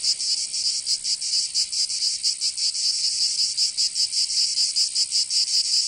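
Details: Shrill cicada song from summer in Provence, southern France: a harsh high buzz swelling in uneven throbs, slower and less regular than a steady beat, with no other sounds.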